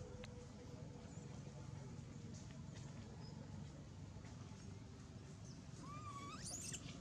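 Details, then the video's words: Monkey scream from a troop where king monkey Marx lip-smacks and screams as baby Jinx runs toward him: a single harmonic squeal sweeping sharply upward near the end, over steady low rumbling background noise and faint voices. "lip smacking & screaming king monkey Marx"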